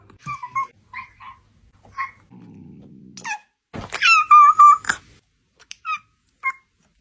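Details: Cat giving a string of short meows, then a low buzzy rumble, then a longer, louder drawn-out meow followed by brief chirpy calls.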